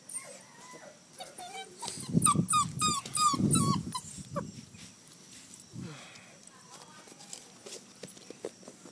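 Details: Outdoor play with a red rust Doberman Pinscher puppy, giving a quick burst of repeated squeaky yelping whimpers, several per second, with heavy rustling beneath; afterwards a human voice and quieter scuffling.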